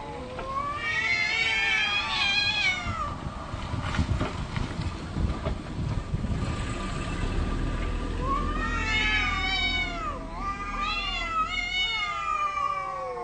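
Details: Domestic cats arguing, trading long drawn-out wailing meows with rising and falling harmonic tones in two loud bursts, separated by a stretch of low rumbling background noise.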